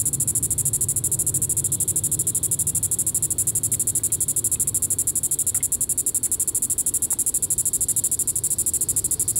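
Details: Evening call of a Diceroprocta vitripennis cicada, Reno County, Kansas, July 20, 2014: a sustained sizzling high buzz made of quick even pulses, with a few faint ticks in the background.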